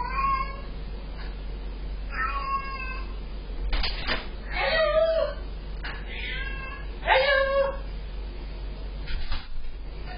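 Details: Ruby, a Sphynx cat indoors, greets her owner arriving home after a 24-hour road trip, caught on a security camera: a series of drawn-out harmonic meows, some rising then falling, spaced a couple of seconds apart over low room hum.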